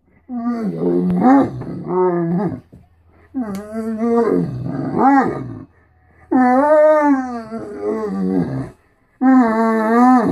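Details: Great Dane vocalizing each morning to be fed and get attention: drawn-out, wavering, harmonic whines and moans that rise and fall like speech, in long bouts separated by brief pauses.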